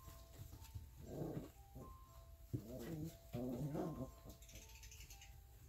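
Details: Playing Alaskan Malamute puppies, 3.5 weeks old; several short grumbling growls and whimpers in separate bursts, with soft music tones in the background.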